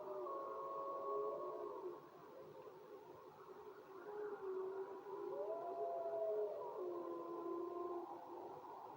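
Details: Several wolves howling together, long smooth tonal howls overlapping at different pitches, some steady and some gliding up and down, rising and fading in waves over a hiss of background noise.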